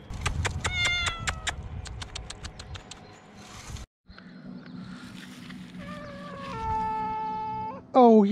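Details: Rescued cats: a rapid series of sharp clicks and short bursts opens, then after a brief silence a long level meow with rich harmonics follows, ending in a louder falling cry, low rumbling noise underneath.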